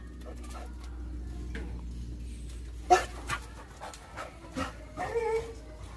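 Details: A female pit bull gives a few short, sharp barks, reacting madly at the sight of a monkey.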